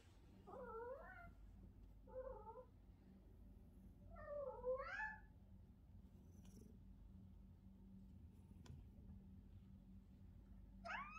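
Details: Domestic cat meowing repeatedly, a series of short, rising-and-falling mews in quick succession, some doubled, with quieter gaps between and a steady low hum in the background.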